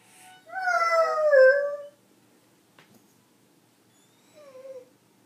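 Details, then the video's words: Beagle singing along with a harmonica: one loud drawn-out howl wavering slightly then falling, a faint tap, then a shorter softer howl near the end, indoors. "Beagle Skip singing with harmonica"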